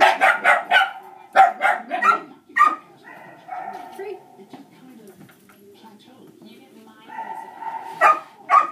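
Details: Barking dogs distract during a shaping training session with Dixie, who reacts to other dogs. A quick run of barks opens, then a few spaced ones, a long lull with low voices, and two final barks.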